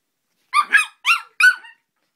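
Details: Joey the dog reacting angrily to Mike Wazowski with four short, high, squeaky yapping barks in close succession, each with a bent, whining tone, in a small indoor room.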